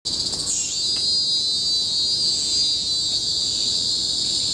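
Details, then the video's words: Cicadas in a Singapore nature reserve, Bukit Timah Hill tropical forest, 2017, fill the air with one loud, unbroken metallic whine after a quick rising burst at the start, steady and high-pitched throughout. "Symphony of the Cicadas in Bukit Timah Hill-Singapore"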